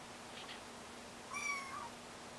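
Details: A single short, high mew from kittens learning to walk, a quick rising-then-falling cry near the end after a quiet start.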